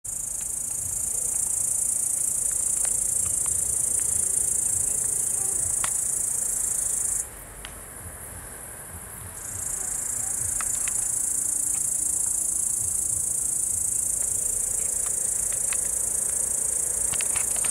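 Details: An evening chorus of field grasshoppers on 16 July 2021, a dense, high-pitched shimmering buzz with no break.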